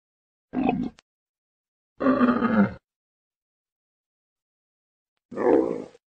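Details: Camel calling: three loud, rough grunting roars, each under a second long, the middle one a gurgling, bellowing groan with a slightly falling tone, separated by complete silence.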